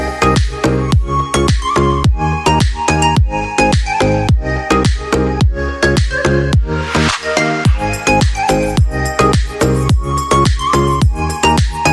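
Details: Loud electronic dance music with a steady thumping beat fills the whole stretch.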